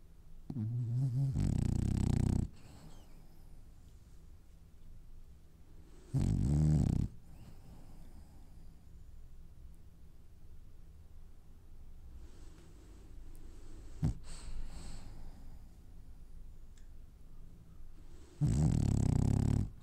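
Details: Dreaming French Bulldog asleep and snoring: loud, low, rumbling snores at about 0.5, 6 and 18.5 seconds, each one to two seconds long, with quieter breathing and faint shuffling between them.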